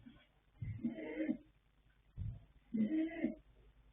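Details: Sleeping colt foal Yanta, born 21 January 2026 to sire Fast Force and dam Pink Blossom, snores in two raspy, rumbling breaths about a second and a half apart, each lasting under a second, in a quiet room.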